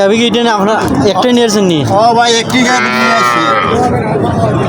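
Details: Cattle at a cattle market in Habiganj, Bangladesh, local cows and calves on sale: a drawn-out, wavering moo with strong layered harmonics, rising and falling, amid constant crowd chatter and market noise.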